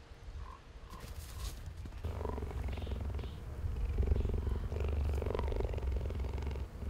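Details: Cheetah kept at San Diego Zoo Safari Park giving a deep, throbbing purr of fast, regular pulses that grows stronger after two seconds. Faint higher chirps can be heard early on.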